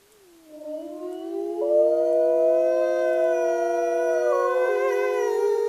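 A wolf howls in a long, smooth tone that swells and wavers slightly as it holds.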